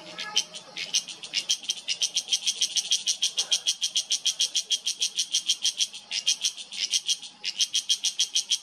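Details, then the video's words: Cicada in Uttarakhand's Himalayan mountain forest, September 2023, giving a loud, reverberating call of steady, fast rasping pulses about four to five per second, briefly broken near the end before resuming. "Cicada in yellow: not so perfect camouflage for loud insect whose call reverberates in mountains"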